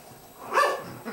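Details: Pomeranian puppy Bello, bottle-fed since his mother Amy had no milk, suckling a dummy; one brief, thin, high whine that rises and falls over half a second, with a faint second squeak after.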